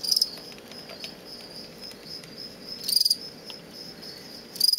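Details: In a large plastic bin, a male fall field cricket bred from parents collected on a road verge near Lethbridge, Alberta, gives aggressive contest song. Brief, bright, high-pitched pulsed chirps come about every two to three seconds over a faint steady hum.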